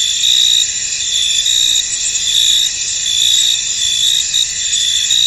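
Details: Crickets in a foggy field: constant high, ringing trill from many insects, overlaid with quick chirp pulses arriving a little more than once per second, uneven in rhythm.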